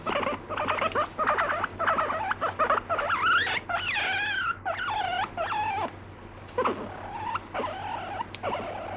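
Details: Pet guinea pig indoors, said to bite and get angry when petting stops; a run of squeaky, wavering calls with rising and falling tones, closely spaced, over a low steady hum.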